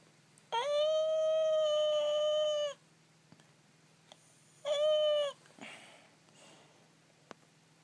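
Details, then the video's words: Pet arctic fox crying indoors: a long steady tonal wail of about two seconds with rich harmonics, a pause, then a shorter second wail, followed by a faint rustle and a click. "Crying fox"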